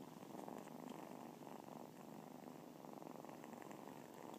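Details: Kittens purring together: a soft, continuous, even rumbling throb that holds steady throughout, with no other sounds.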